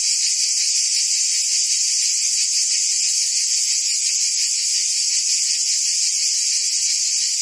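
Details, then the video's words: Forest cicadas in the trees give a continuous shrill buzz, even in loudness throughout, carrying a subtle throbbing texture and no pauses or other background sounds. "Ambient Cicada Sounds"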